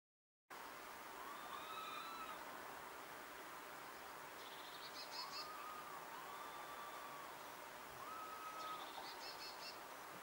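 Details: Two wild female red squirrels calling to each other across a distance, a rarely heard exchange: thin, drawn-out whistles, level then gently falling, alternate with short buzzy, ringing bursts, recurring every few seconds over a steady hiss.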